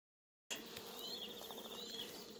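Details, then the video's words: Bees buzzing in an orchard in New Zealand while Reg the cat hangs out among them: a steady hum with layered low tones, chirping birds high above, starting after a brief silence. "Reg hanging out with bees"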